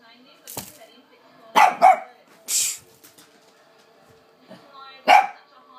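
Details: Lhasa Apso scared of the hoover, giving sharp barks: a quick double bark, then a single bark after a pause, with a hissing burst and soft human voices between.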